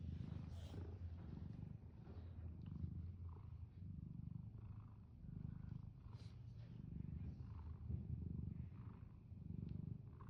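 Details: Domestic cat purring steadily, a low rumbling drone pulsing in slow rhythmic waves about every second, with faint soft clicks and rustles over it; calm, close recording.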